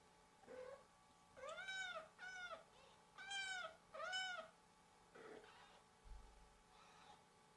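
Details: Newborn kittens crying while their mother is away: a series of high, arching meows, two pairs in quick succession, then fainter short mews trailing off.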